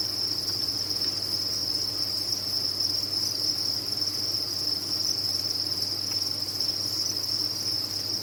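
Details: Many crickets at a cricket farm trill together in a steady, high-pitched, unbroken chorus.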